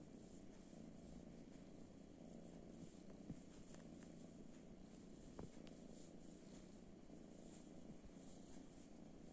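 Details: Kitten sitting on a sofa, seeking affection, purring in a soft, steady low rumble that continues unbroken throughout, with a few faint clicks and light taps in the room.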